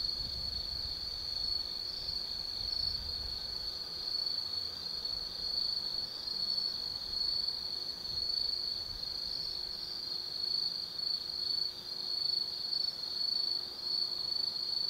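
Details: Autumn night insect chorus at Tsukimi no Mori, Kaizu, Gifu Prefecture, Japan, above the lights of the Nobi Plain: continuous high metallic trill, steady for the whole stretch, over soft low-frequency ambient noise.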